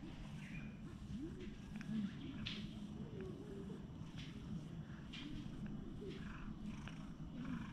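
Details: Stray cat lounging on a stone bench outdoors while stroked with a cat brush, purring as a steady low rumble throughout, with soft rustling and faint background noise.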